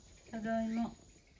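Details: Sacchan, a rescued male cat born around spring 2019, answers with a meow when called by name, returning from behind the house in Higashiōmi, Shiga, in spring 2023. There is a single drawn-out, low, steady-pitched meow lasting about half a second, then quiet.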